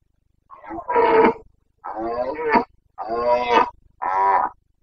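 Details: Carpathian red deer stag roaring in the Bucovina mountains during the rut, 29 September 2022; four loud harsh bellows in quick succession, each about half to one second, rich harmonic tone, quiet background.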